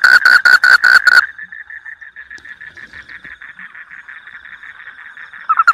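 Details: A rice-field frog with a melodious voice: a loud burst of rapid pulsed notes, then a softer, more distant series of similar notes, and the loud pulses return at the end.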